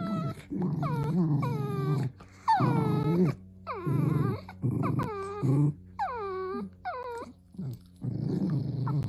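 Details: Dachshund making repeated whimpering yelps, each a high cry that drops steeply in pitch, over a steady deep growl, roughly one call per second, loud and close.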